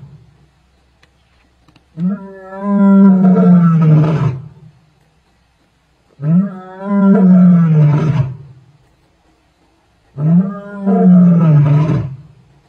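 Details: Tsalala lioness roaring, 12 February 2024: three powerful low roars, each opening with a brief rising grunt and swelling into a long sustained moan, spaced about four seconds apart, with quiet gaps between.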